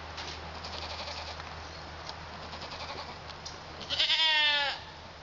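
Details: Pygmy goat kids, males born February 27, eating some hay and oats but not fully weaned, near London, Arkansas; a single wavering bleat near the end after quiet rustling and background hiss.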